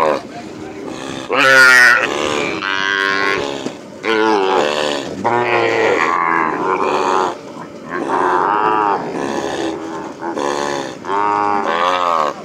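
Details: Calves released after branding on a working ranch in the llano, bawling loudly and continuously, with many overlapping drawn-out moos, some rising and some falling, from several animals at once.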